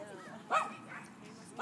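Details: Dogs playing together at a dog park; one sharp, harmonic bark rises out of the middle, with softer yelping sounds after it and a person's voice calling to the dogs in the background.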